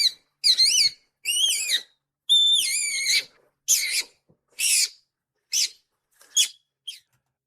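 A skunk gives high, thin, wavering squeaks in about eight short bursts, the early ones longer and warbling, later ones brief chirps, with quiet between.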